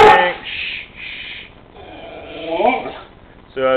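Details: Spike, a Pit Bull told to speak for a bacon treat, lets out a few breathy huffs and then a short, whine-like 'talking' sound that rises and wavers. A person's voice is heard giving the command before and praising after.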